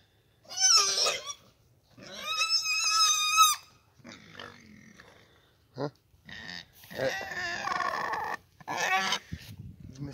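A domestic pig lets out long, shrill squeals with a wavering, almost sung quality, each lasting a second or more. Shorter grunts and squeaks sit between the louder bursts.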